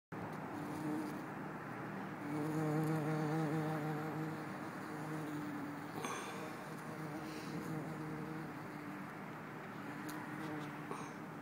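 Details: Bumblebee, possibly Bombus hortorum or Bombus terrestris, recorded in Lisbon on 4 December 2011: a low droning buzz with stacked harmonics swells in the middle seconds, partly masked by steady traffic rumble and a few clicks.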